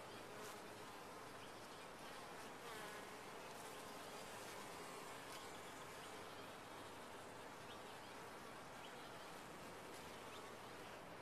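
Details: Dense, even droning of honey bees inside a top-bar hive, a thick broadband buzz that stays constant in loudness from start to finish.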